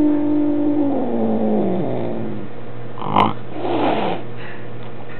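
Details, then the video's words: Sam, a Maine Coon cat, unhappy that a new kitten is visiting his home, complains with a long, drawn-out yowl that slides downward in pitch, then huffs harshly. "Sam the Mad Maine Coon Cat Studing to be the MGM Lion"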